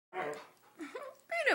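A Siberian Husky begs with short, wavering whines and woo-like sounds that bend up and down in pitch.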